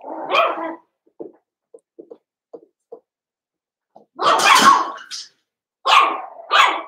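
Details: Cavalier King Charles Spaniel puppies from two litters, Daisy's six and Robin's two, merged and playing together indoors: a few soft clicks, then a burst of sharp, rough barking and two shorter high yips close together.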